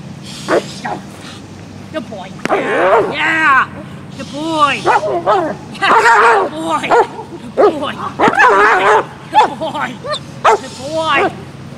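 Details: Dog barking aggressively, not playing: loud, harsh barks in irregular bursts with pauses, some overlapping growly yelps, a steady low hum beneath.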